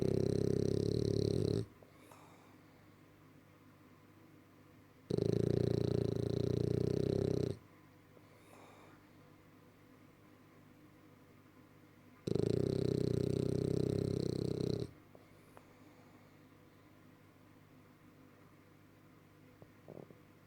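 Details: French bulldog snoring indoors: three loud, rough, droning breaths, each lasting about two and a half seconds, separated by quieter pauses of several seconds.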